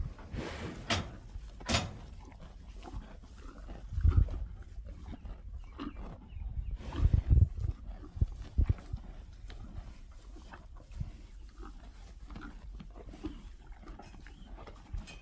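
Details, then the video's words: Eating cows making low, crunchy chewing and tearing sounds, louder bursts around the middle, with occasional sharp clicks and rustles in a rural setting. "Sound of eating cows."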